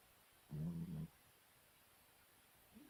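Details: A Chihuahua asleep and snoring, one deep, rumbling, two-part snore lasting about half a second, followed by quiet room tone and a faint soft sniff at the end.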